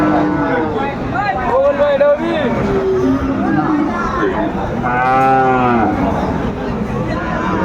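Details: Bull cattle offered for sale at a Chattogram market in Bangladesh, 17 August 2024, amid farmers shopping for breeding stock. Two or three moos stand out, the last a strong, rich bellow that swells and fades, with market chatter underneath.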